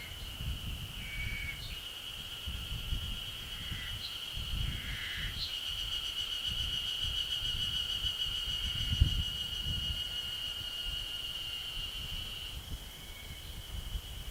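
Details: Yezo spring cicadas in the Ashiu primeval forest, ridge line at 900 m, 26 May 2012: a continuous shrill drone under short whistled calls of other creatures, with low rumbling and thumping noises throughout.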